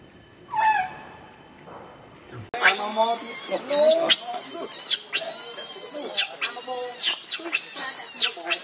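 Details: Hungry baby monkey Leo begs its mother for milk: one short wavering whimper, then a burst of loud, harsh, shrill screams repeated in rapid bouts with brief gaps, very intense and broadband.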